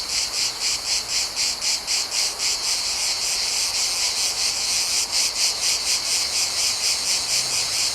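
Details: Cicadas recorded in a Mediterranean summer give a dry, high-pitched buzzing, pulsing steadily about four times each second.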